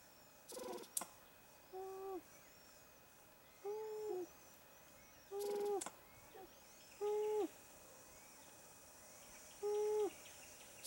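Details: A Verreaux's sifaka (Propithecus verreauxi) in Kirindy, Madagascar, gives short, nasal, hooting calls repeated about every one and a half seconds.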